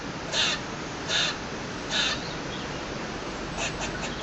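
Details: A squirrel on a balcony calls with short, harsh, scratchy chirps, roughly one per second with a brief pause before the last few, over a steady hiss; reason for the noise unknown.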